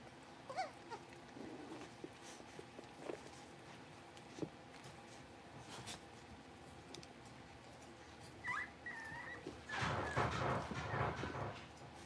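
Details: Five blenheim Cavalier King Charles Spaniel puppies, born on New Year's, newly moved into a big indoor pen. Brief high whines and yelps come scattered, one thin wavering whine sounds later, then a loud rustling scuffle near the end.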